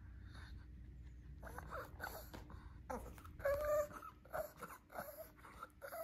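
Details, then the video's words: Lacey, a female Shih Tzu kept as a pet, keeps talking indoors after eating treats and wanting more: a string of whiny, warbling moans and grumbles, one drawn-out higher wail near the middle, with soft background music. "Lacey dog talks a lot when it comes to treats!"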